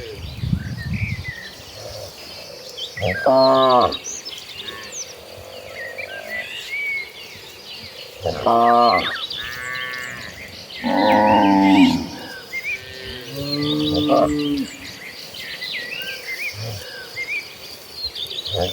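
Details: Tame cattle herded in their hundreds toward green pasture: short, separated moos at intervals of a few seconds, some higher-pitched, amid steady background chirping of small birds.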